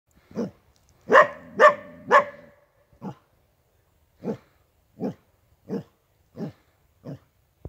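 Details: Big male coyote caught in a trap at an 18-acre location, barking: three loud, harsh barks in quick succession, then six shorter, quieter barks spaced roughly every two-thirds of a second, with silence between.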